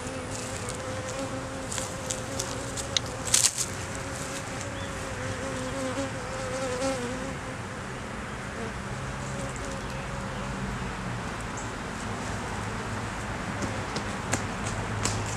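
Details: Honey bees humming as their hive is inspected in the beeyard, where a laying queen and honey were found; a clear, tonal buzz with layered pitches that wavers slightly, plus frame knocks around three seconds and scattered light clicks.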